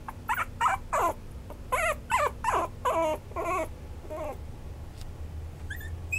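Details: Maltipoo, a Toy Poodle and Maltese mix, giving a quick run of high whining yelps with wavering, falling pitch over the first four seconds, then near quiet with a few faint thin tones at the end; low steady hum underneath.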